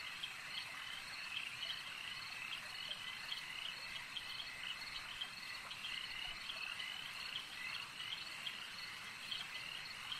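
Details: Lakeside frog chorus: numerous frogs croak together in a continuous high, rasping wash, punctuated by frequent brief chirping notes at fairly regular intervals.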